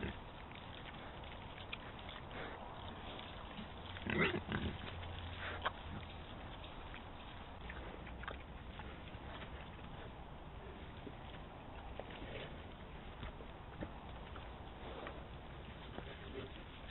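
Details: Wild boars feeding on the carcass of a dead red deer stag; one brief low grunting burst stands out, surrounded by faint rustling and chewing clicks over a steady background hiss.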